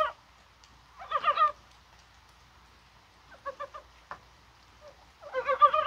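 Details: Korean brown frogs calling during rain on a spring-like January 21, possibly spawning; a rattling croak, a soft triple of short pulses, then a longer, louder pulsed burst at the end.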